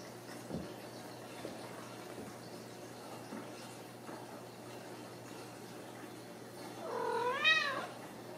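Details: In a quiet Kansas home cattery, a Ragdoll kitten lets out a single bright, arching meow near the end, after several seconds of soft room sounds and faint taps.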